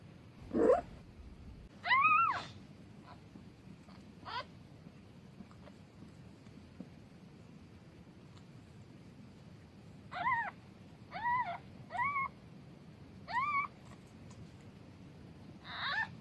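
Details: Newborn kitten with its mother, indoors: a series of short, high, thin meows rising then falling, given in clusters with quiet gaps, about seven calls over sixteen seconds.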